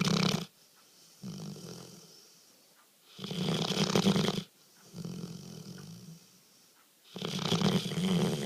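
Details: Dog asleep and snoring loudly, each rough rattling inhale lasting over a second, alternating with softer, lower exhales in a slow uneven rhythm, recorded in a quiet room.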